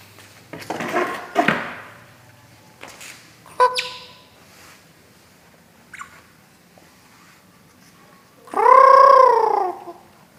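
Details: Otter, with scattered knocks and scuffling sounds indoors, then a loud drawn-out harmonic squeal lasting about a second that rises and falls in an arch near the end.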